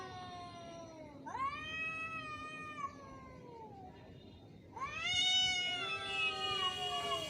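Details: Angry cat, in a fight: two long wailing yowls with rich harmonics, the first rising then sliding down over about two seconds, the second louder, higher and wavering, with a quieter pause between them.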